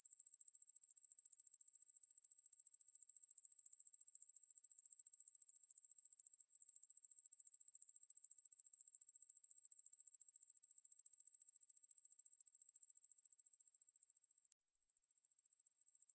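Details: Ruspolia lineosa conehead katydid, from a 2020 National Institute of Biological Resources recording: a continuous, very high, thin buzz made of rapid, even pulses, about fourteen per second, with a brief dip near the end and no other sounds.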